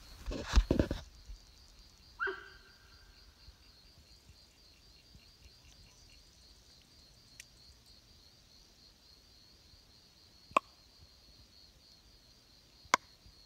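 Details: After dark near camp, a young sambar gives an unusual honk: one drawn-out, ringing, slightly nasal note about two seconds in, then only a constant high-pitched insect drone and a few sharp clicks.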